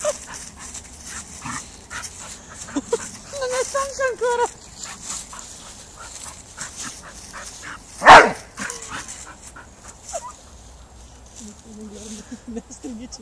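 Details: A Bull Terrier, angry at not getting what it wants, grumbles and whines in wavering tones, then lets out one sharp bark.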